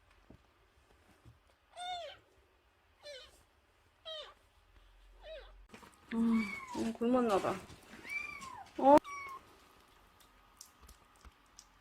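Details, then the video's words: Nursing kitten under a month old, found crying at the front gate and taken indoors; another nursing kitten checks on it. High, arching mews come in short bursts about a second apart, followed by more mewing that overlaps a woman's speech. "대문앞에서 울고 있었다는젖먹이 아기고양이"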